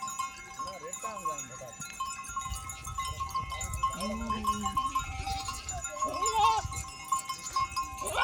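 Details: Desert village goats moving as a herd, with short falling and wavering bleats from a few animals, mixed with human voices and a constant high ringing drone.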